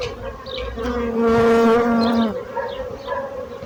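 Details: Buzzing of bees. A quiet background hum swells into a loud, close drone in the middle, steady and slightly falling in pitch, then fades back to a softer murmur.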